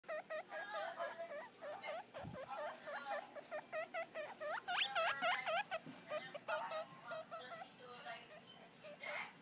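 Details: Caramel, a three-day-old baby guinea pig looking at its reflection in a mirror; rapid, repeated squeaky chirps, each sharply rising and falling, about four per second in steady bursts, with faint handling noise.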